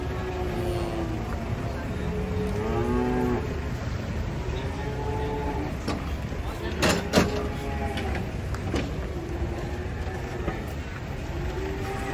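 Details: Cattle being unloaded from a truck at Pasar Pon market, where calves are also sold. Several drawn-out, harmonic moos rise and fall, some overlapping, over steady engine rumble and a few sharp knocks.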